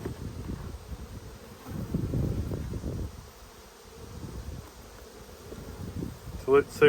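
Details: Honey bees in a strong Australian colony during a food dearth, opened for inspection on 5 February 2022; low, rumbling buzz that swells and fades in uneven bursts, with a brief voice and clatter near the end.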